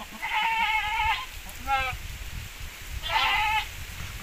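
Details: Javanese goat crossed with Boer goats; two wavering bleats and a short thin one between, with a person talking in the background and a thump at the end.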